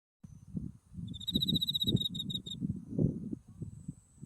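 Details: Autumn insects calling beside a blooming white buckwheat field in Japan, with Mount Tsukuba in the distance. A single high, shimmering trill lasts about one and a half seconds over rumbling wind noise.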